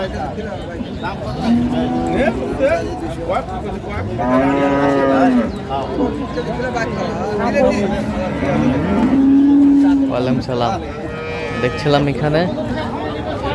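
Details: Lowing from improved-breed dairy cows and calves at Ambari haat on 2/3/25: a short moo early on, then two longer moos about five seconds apart, over steady market hubbub and voices.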